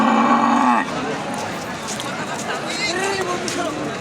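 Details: Cattle at the Thursday cattle market in Raniganj, recorded on 9/3/26: one loud, low, harmonic moo lasting under a second, then a steady hubbub of many people talking and trading.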